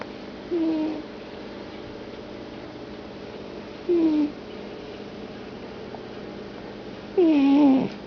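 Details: Domestic cat snoring in deep sleep, three drawn-out nasal snores roughly every three seconds, each a short falling tone with a harmonic stack, the last one longest and loudest, quiet room in between.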